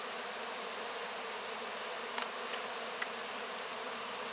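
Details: Honey bees cleaning up wax cappings after a honey harvest, filmed close-up: a dense, steady hiss-like hum of many bees, broken by a few faint sharp clicks near the middle.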